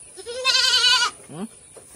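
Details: Goat during a health check, Sambas: one loud, wavering, nasal bleat lasting about a second with strong harmonics, then a short, fainter rising call.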